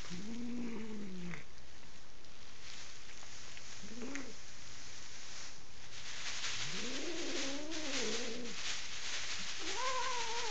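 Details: Canadian house cat in Kitchener, Ontario, enraged and refusing to leave the bed during bedroom painting, utters four moaning yowls, short and wavering, the third longest with undulating pitch, against continuous scuffling and rustling noise.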